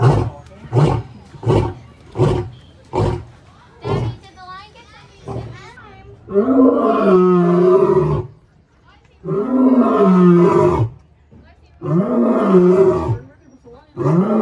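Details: A male lion at the Indianapolis Zoo, just risen and kept from his females (owner suspects he's lonely), gives short deep grunts, then long, throaty moaning roars, with faint voices nearby.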